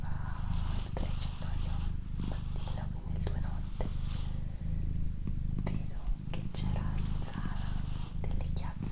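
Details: Female domestic cat Doroti purring close up indoors, a throbbing low drone pulsing in breath-length cycles about every second, with soft whispered talk and small clicking noises over the top.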